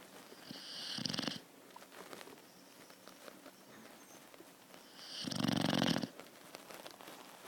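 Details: Thai Ridgeback puppy, four months old, asleep and snoring very loudly indoors; two long, rasping, rattling snores about four seconds apart, with quiet room noise between them.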